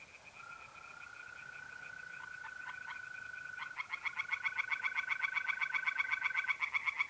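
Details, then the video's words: Tree frogs singing in a pond on a mid-April night in north-east Italy: loud, rapid, pulsed croaks building into a dense chorus after a few seconds, over a steady trill of mole crickets and fainter distant frogs. "relaxing singing tree frogs in pond"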